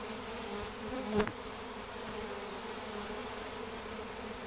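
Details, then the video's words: Many honey bees marching into a hive toward the scent of their queen; even buzzing drone with a short louder burst of a bee passing close about a second in. "Bees marching into a hive"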